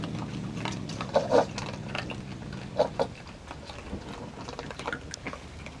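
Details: Raccoon family eating cat food in a front yard: short low grunting calls in two brief pairs, near the start and around the middle, over steady wet chewing and crunching.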